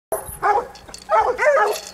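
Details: Female coonhound in Arkansas fighting a raccoon, giving a few loud, rough, harmonic barks in quick bursts, with a short pause between the first bark and the rest.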